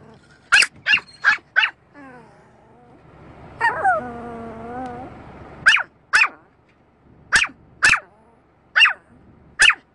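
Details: Pet dog barking at a car's windscreen wiper: sharp barks in quick bursts of four, then a whining, wavering tone, then more single and paired barks spaced about a second apart.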